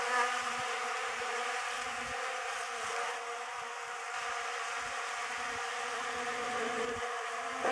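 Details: Quieter droning of honey bees feeding on a homemade pollen substitute, a continuous hum with faint ticking bumps throughout.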